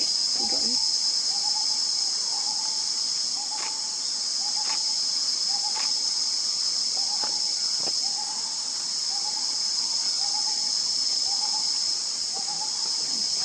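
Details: Hoolock gibbon, India's only ape, in Assam, India: short rising hoots repeated roughly once a second in a steady series, set against a loud, continuous high insect drone, with a few brief clicks.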